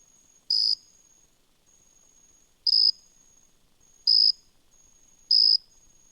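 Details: Jumping bush cricket (Orocharis saltator) singing loud, brief, high chirps spaced one to two seconds apart; a common late-summer evening singer heard in suburban backyards, parks and natural areas.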